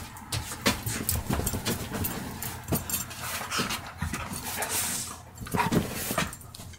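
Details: Dogs playing and fighting with each other: a busy run of short snarly growls and scuffling bursts, broadband and uneven, with breathy rasps scattered throughout and no steady rhythm.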